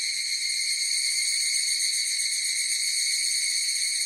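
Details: Unbroken high, metallic ringing from a chorus of higurashi cicadas, with faint rapid pulsing in the tone and no other noise.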